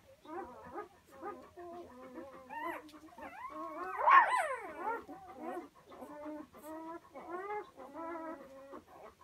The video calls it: 1 napos komondor kiskutyák - 1 day old komondor puppies